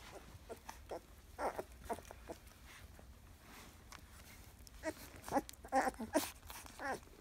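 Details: Labrador Retriever x German Shepherd puppies at 14 days old, from Bella's first litter, indoors. Short, scattered squeaks and brief whimpers come faintly early on, then a cluster of louder yelps near the end, amid soft shuffling.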